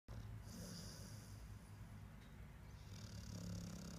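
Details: Bidinha, a pet dog, snoring in its sleep: a steady, low rumbling drone that continues throughout with little change, and a faint hiss higher up.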